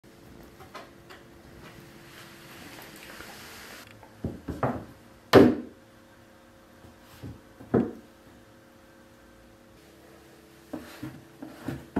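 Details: Scattered wooden knocks and thuds sound in a quiet small room over a faint steady hum, with no animal voice.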